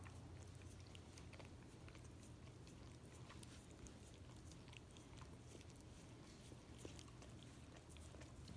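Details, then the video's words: Indoors, a Miniature Australian Shepherd laps peanut butter from a foot, making a continuous run of moist tongue clicks and smacks, some sharper than others, over a low background hum. "Dog licking peanut butter off foot again ASMR"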